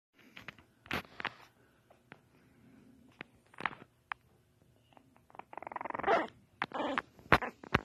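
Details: Small female French Bulldog puppy, eyes barely open, making her first growls and barks: scattered soft clicks and snuffles, then a harsh, noisy growling burst near the end followed by short sharp yaps.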